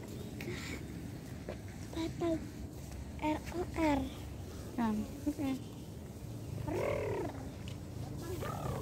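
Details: Cat meowing while separated from its owner: about ten short, harmonic meows in uneven bursts, some rising and others falling in pitch, over a steady low hum.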